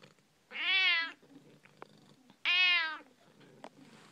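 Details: Two long, loud meows from Figaro, a pet cat conversing with her owner: each call about half a second, rich and slightly nasal, two seconds apart, with small clicks and quiet room sound around them.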